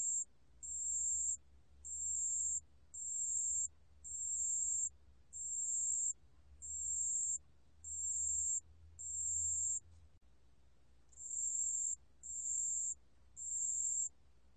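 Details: A pale bell cricket sings clear, very high ringing bursts, each about half a second, repeated steadily; recorded 2020.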